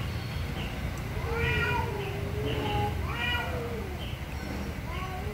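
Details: Angry cats calling very loudly, a series of short and drawn-out meows, some wavering and falling, coming in quick irregular succession over a low constant rumble.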